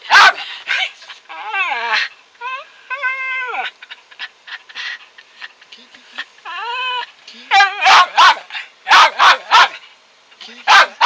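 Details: Pet dog that will not stop barking: rising and falling whiny, nasal yelps with clear overtones through the first half, then a run of sharp, loud barks near the end.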